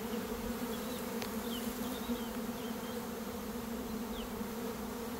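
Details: Honey bees swarming on a swarm day in early May, as a beekeeper catches two swarms in one day. A continuous, unwavering low buzz fills the recording, with faint bird chirps high above it.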